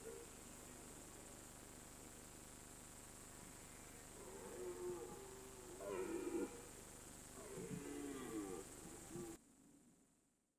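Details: Red deer in the September–October rutting season on a mountain pasture: two drawn-out, moaning roars with rough harmonics between about five and nine seconds, separated by a short gap, over a steady background hiss, then fading to quiet.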